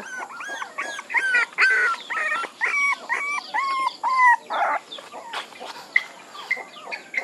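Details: Puppies whining and yelping in a rapid series of short, high, bending cries, many overlapping, some rising then falling, packed closely through the whole stretch.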